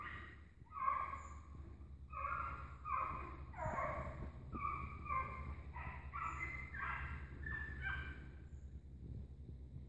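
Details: A pack of hunting dogs chases an agouti. Overlapping, drawn-out baying barks with bright harmonics come in quick succession, often several per second, across the whole stretch over a steady low rumble.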